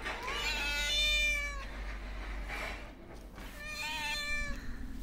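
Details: A homeless cat, hungry and wanting attention, produces a long strained meow, a brief breathy burst, then another drawn-out meow, over steady low background rumble.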